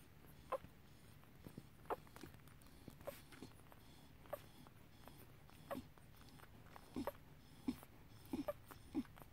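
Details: Tibetan Terrier puppies, five days old, at a kennel: short high squeaks and whimpers scattered through the recording, several brief peeps close together, over a low steady background hum.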